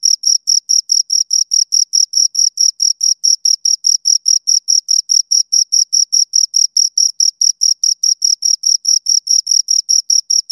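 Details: Pair of crickets producing a very regular chirp, crisp high pulses repeated evenly at a brisk pace of roughly four per second throughout, with a thin upper harmonic and no other noise.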